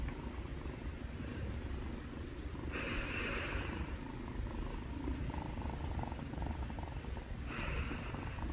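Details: Pair of kittens purring: continuous deep rumbling purr with rhythmic breathing, soft breathy hisses rising twice, and a faint higher buzzing hum partway through.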